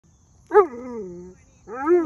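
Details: A male Alaskan Malamute on his walk gives two drawn-out, wavering 'woo-woo' vocalizations that slide down in pitch and then rise again.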